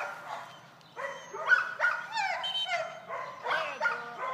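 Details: Golden retriever, eight months old, during retrieving training on short single marks; a run of high, wavering whines and yelps, several short squeaky cries in a row.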